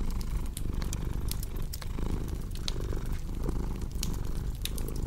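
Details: Domestic cat purring in a steady low rumble that swells and dips with each breath, roughly every second, over the sharp pops and crackles of a cozy fireplace mixed in for relaxation and deep sleep.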